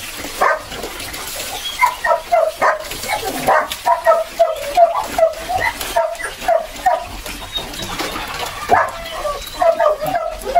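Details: Belgian Malinois puppies being bathed and given their second deworming. Many short, high, tonal whimpers and yelps follow one another in quick bursts through the whole recording, with faint splashing water behind.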